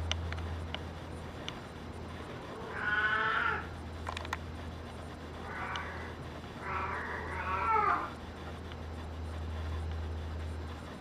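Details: Brown tabby and white male cat gives three meows, the first a single falling cry, then a short softer one and a longer wavering double meow, over a steady low indoor hum.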